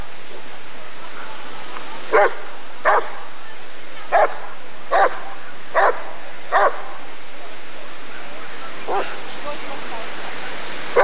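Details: Barking Rottweiler recorded at the 1994 ADRK Körung breed survey: a run of six forceful barks roughly every 0.7 seconds, a pause, then softer barks and one more loud bark at the end.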